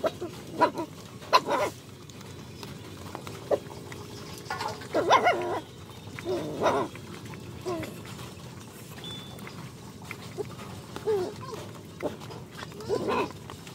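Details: Hungry puppies, described as poor dogs being given food, give short sharp yelps and whimpers in scattered bursts, some doubled, with quiet gaps between them and faint background noise.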